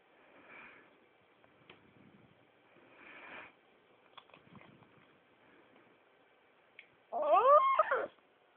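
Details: A 4-month-old pug ends a yawn with a loud, squeaky whine that rises and then falls.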